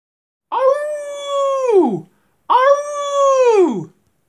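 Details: A gray wolf gives two long, steady howls, each holding one pitch before sliding down at the end.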